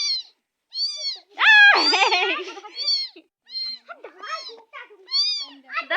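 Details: Hungry young kitten newly brought from Uluberia, meowing repeatedly in short arched mews, with a woman speaking Bengali over and between the calls.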